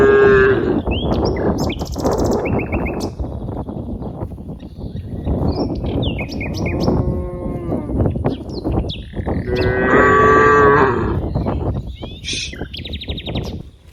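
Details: Dozens of cows playing in green rice fields; several moos of varying length, a strong one near ten seconds, mixed with frequent bird chirps and busy background rustle.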